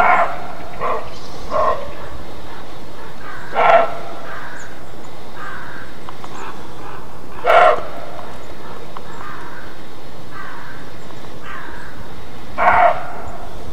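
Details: Roe deer barking in alarm ("Schrecken"): loud, gruff, rasping barks roughly every four seconds, with quieter barks in between, over a continuous low hiss.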